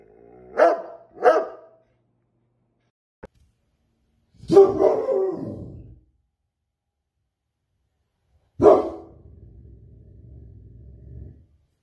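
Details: Rottweiler barking: two quick sharp barks, a pause, then a long harsh drawn-out bark and a final bark trailing into a low steady growl, with silence between.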